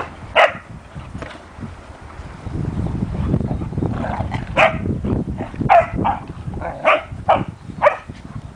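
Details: Standard poodle mother growing up with her puppies indoors: a couple of sharp yips at the start, then a run of short, high barks every half second to second through the second half, over low rumbling background noise.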